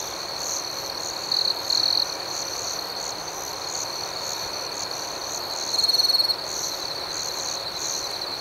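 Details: Nighttime cricket chorus in a serene outdoor setting: an even high trill throughout, two short loud chirp bursts early on and a longer ringing burst later, over a pulsing upper layer.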